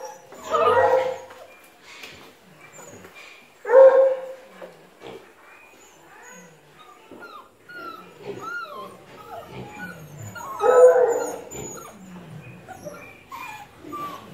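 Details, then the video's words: Treeing Walker Coonhound giving three long, drawn-out baying howls spaced several seconds apart, with small birds chirping high and thin in the background. "Treeing Walker"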